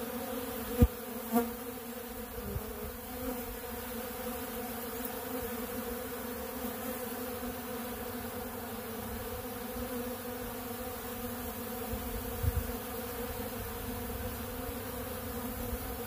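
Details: Many honeybees feeding on ultra bee pollen from a big blue pollen feeder make a steady, dense droning hum with layered low tones, broken by a few brief soft knocks.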